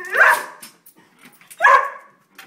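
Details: Greyhounds, three dogs including a foster, reacting to a squirrel found at a bird feeder with two loud, harsh barks about a second and a half apart, with quiet between them.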